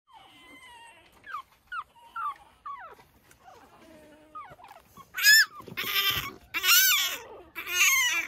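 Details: Pekingese puppies out early in the morning, tumbling about, give thin whines that slide up and down, spaced a second or so apart, before harsher, louder yelping bursts take over near the end.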